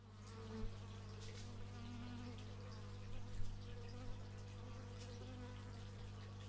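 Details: Bees buzzing in stereo through an x/y microphone, a steady low drone with wavering overtones as insects fly past, plus a few soft knocks and brief louder swells.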